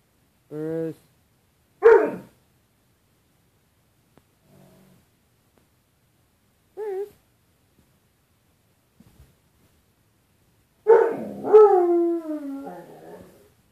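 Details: Bruce Wayne, a pet dog indoors on 4 April 2013, faces his reflection in a closet door's glass: short tonal whines, a sharp bark, then a long wavering howl-like yowl that slides downward.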